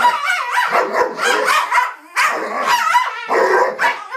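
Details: Two dogs, Psyche and Harvey, make strange noises at each other during play, Psyche in a strange mood: a continuous, wavering, growl-like moaning with rising and falling tones, broken by one short pause near the middle.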